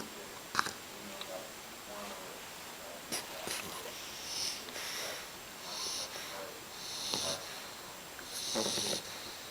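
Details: Sleeping puppy snoring: soft, wheezy, airy breaths that rise and fall irregularly, with a few sharp clicks and faint background noise in an indoor room.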